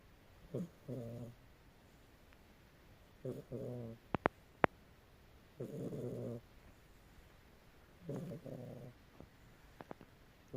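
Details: A domestic cat snoring in its sleep, giving low grating breaths, some doubled, every two to three seconds, with a few faint clicks in between and an otherwise quiet room.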